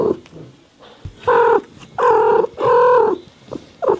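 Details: House cat meowing in California: after a faint brief call, three loud, level meows follow one another about every half second to second, each held steady, with a short fainter meow near the end.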